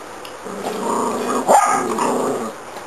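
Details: Pet dog playing with a zigzag ball growls in a steady, throaty rumble lasting about two seconds, rising into a louder snarl midway before easing off.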